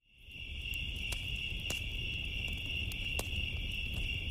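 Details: Crickets on a summer night beside a crackling bonfire: a steady, high, shimmering trill that fades in over the first second and then holds unbroken. Sharp pops and snaps from the fire and a low rumble sit underneath.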